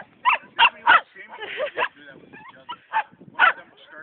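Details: Two male Shetland sheepdog littermates meeting at a dog park, noted for sounding alike: sharp, high barks in quick clusters, three near the start and two near the end, with people talking between them.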